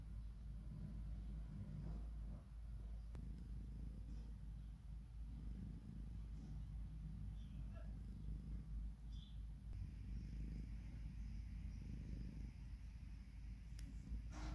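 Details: British Shorthair kittens Oliver and Oscar, nine days old and born on Easter Day 2019, relax with their mother Kim indoors. A low, steady, rumbling purr runs throughout, with a few faint soft clicks and rustles above it.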